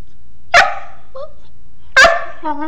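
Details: Mastiff puppy making funny talking sounds: two sharp yelping vocalisations about a second and a half apart, with a faint whine between and a short tonal whimper at the end; quiet room.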